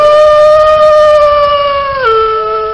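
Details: Wolf howl: a single long, steady, tonal note with rich overtones that holds level, then drops sharply in pitch near the end and continues lower. There is no other sound.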